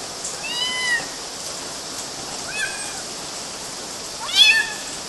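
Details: Kittens climbing mosquito nets, Galati, Romania, June 2012; three thin, quiet mews, the first drawn out and level, the second short, the last rising and louder, against a constant hissing background.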